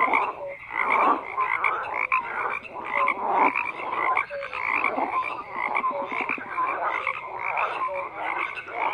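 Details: Frogs croaking en masse: layered raspy calls and short tonal peeps repeat rapidly and unevenly, forming a constant busy chorus throughout.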